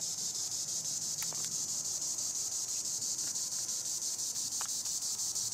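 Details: Tibicen linnei, the green annual cicada, calling from treetops with a loud, sustained high-pitched drone pulsing rapidly and evenly, a couple of faint chirps mixed in.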